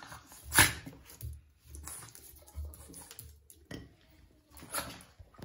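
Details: Two Boston Terriers fighting each other indoors for no apparent reason, with sharp, scuffling bursts, a loud snap near the start and another late, and low grumbling noises between them in a small room.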